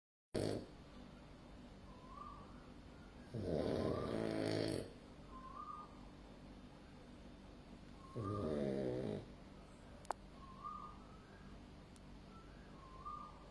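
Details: Male white-and-black French Bulldog, born August 2020, snoring: two loud, rough, rasping snore bursts about five seconds apart, with soft short whistling nasal tones between breaths and a quiet background.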